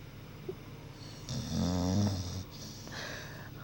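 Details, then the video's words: A deep, rattling snore from Cali, a pet dog dozing and dreaming after a long day, rises and fades over about a second, then soft breathing in a quiet indoor space. "MY DOG SNORING & DREAMING"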